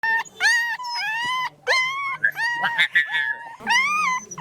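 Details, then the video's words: Dog and puppy on a farm giving high, drawn-out whines. Each cry is smoothly arched and rich in overtones. About five cries are separated by short gaps, with a faint low hum underneath. "Dog and puppy sound effect around us in farm"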